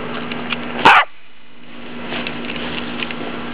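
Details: Dog named Rocket barking once while playing with its favourite toy; a single loud, harsh bark near the one-second mark, followed by quieter background noise and faint rustling.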